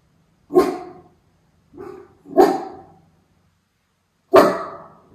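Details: Miniature Schnauzer Levi watching for crows in Aroostook County, Maine, on August 27, 2021; four sharp, broad barks spaced irregularly, about a second or two apart, each quickly fading.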